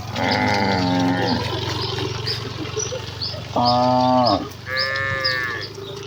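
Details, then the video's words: Herd of village cows hurrying happily to the pen: a long steady moo, a pause, then a strong flat moo ending in a downward slide and a brief higher bellow, with birds twittering throughout. "Kawanan sapi lembu yang berlarian menuju kandang dengan kegiranganan dengan suara moo khas sapi desa"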